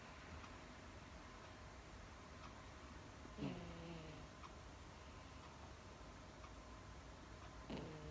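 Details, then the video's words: Female Miniature Dachshund asleep, snoring as she drifts off; two short, low, rasping snorts land about four seconds apart over a steady indoor background hum, with faint ticking in between. "ミニチュアダックス の寝息、いびき"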